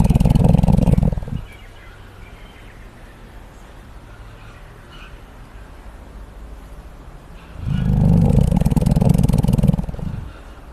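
A koala gives deep, rumbling snores in two long bursts separated by a quiet pause.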